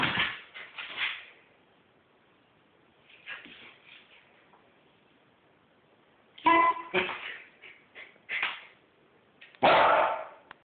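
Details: House Corgi pestering for belly rubs with clusters of short grumbly barks and whines, separated by a quiet stretch, ending in a loud harsh bark; faint movement noises in a small room.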